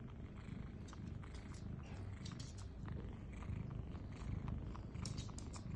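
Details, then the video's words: Mother cat nursing her kittens: a steady low rumbling purr-like murmur with faint soft clicks and smacks of suckling throughout. "Listen to Breastfeeding Sounds"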